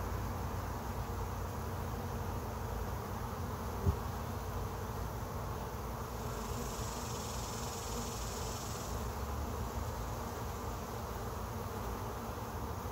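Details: Honey bees on day 1 of a colony trap-out make a continuous low drone of many blended wingbeats, with a soft hiss for a few seconds midway and a single click early on.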